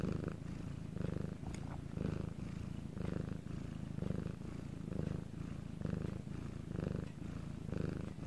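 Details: A house cat named Bangul purrs in a still Korean night recording: a low, buzzing rumble pulsing with each inhale and exhale about once a second, with one brief faint click early on.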